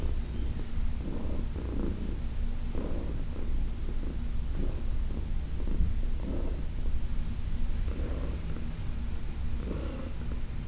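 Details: Senior female cat, 14 years old and adopted from a New York City shelter, purring during a massage on August 4, 2021: a steady low rumble that swells with each breath about every one and a half seconds, with soft rustles of handling.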